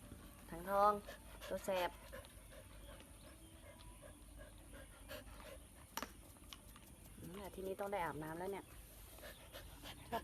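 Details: Bangkaew dog named Baitoey, very dirty, with dogs nipping at each other. A short wavering, whining cry comes near the start and again around eight seconds, with a person's voice and low background hum.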